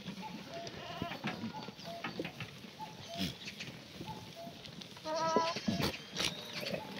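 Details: Black goats on a free-range farm at Yeocha-ri, Sangdong-myeon, Gimhae, on a sunny June 2019 morning: one loud, wavering bleat rises near the end, with faint short calls, knocks and clatter from the yard throughout.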